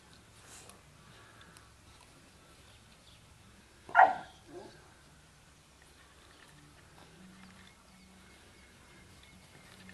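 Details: Dogo Canario puppies aged 12 weeks, from a litter born on 11 February 2010. A single short, loud bark bursts out midway, followed by a softer second yelp, against a quiet background with a faint low hum.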